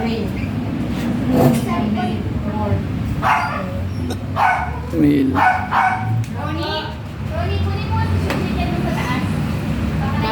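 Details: Eight-week-old Agouti line Siberian Husky puppies visiting their vet for a first 5-in-1 vaccine give short, sharp yips and barks in scattered bursts, with people talking in Filipino throughout over a steady low engine hum.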